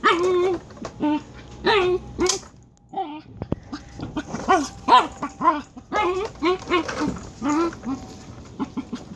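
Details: Dachshund giving weird, chicken-like vocalizations: rapid, irregular strings of short, nasal, whiny yelps and grunts, with a brief quiet gap near the middle and a faint background hum.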